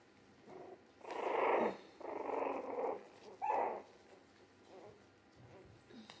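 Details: Three-week-old Jack Russell Terrier mix puppies, born 17 December 2020, indoors; three rough, growly bursts about half a second to a second long, then softer scattered grunts.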